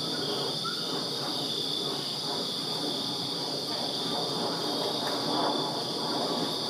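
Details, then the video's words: Backyard crickets on a Virginia summer night keep up a continuous shrill trilling drone, partly masked by louder mid-range background noise that swells slightly near the end. "Crickets Chirping Summer Night in Virginia"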